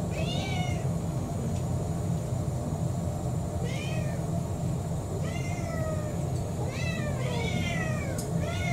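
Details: A four-year-old orange tabby cat named Kurumi begs for her evening meal indoors, giving repeated arched, falling meows roughly every one to two seconds, some doubled, against a constant low rumbling background.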